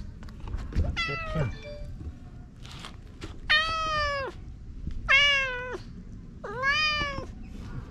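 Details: Stray cat called Okappa-chan in a Japanese park, rubbing affectionately against a person: four clear, drawn-out meows, each steady then slightly falling, spaced about one and a half seconds apart, with faint thumps and quiet background.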